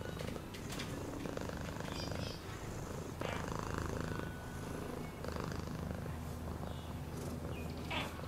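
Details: Domestic cat purring: a steady low rumbling throb runs through the whole stretch, with faint scattered clicks and brief higher background noises.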